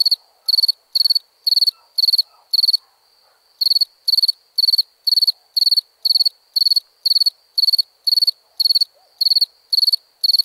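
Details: Crickets chirping at nighttime: short, high, pulsed chirps repeated about twice per second in a steady run, with one brief pause near the middle; no other sounds.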